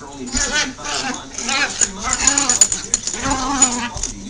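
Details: Miniature Pinschers and a Jack Russell Terrier playing wildly together, giving whiny, rapidly wavering yips and moans that rise and fall in quick bursts, with a steady high hiss in the background.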